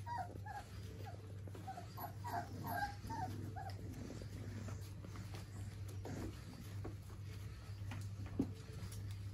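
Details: German Pinscher puppies, four weeks old, giving soft high whimpers in short clustered bursts during the first three seconds, then only faint squeaks, against a steady low hum.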